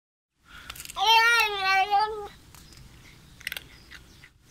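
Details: A loud, visiting male Bengal kitten makes funny sounds while eating: a drawn-out, wavering, slightly growly meow, followed by faint crunching clicks.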